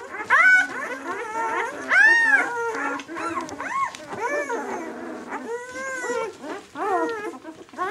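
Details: White German Shepherd puppies, six days old, from the "of White Night" B litter, give rising-and-falling squeals and thin whines, several voices crossing, with one louder arched cry near the start.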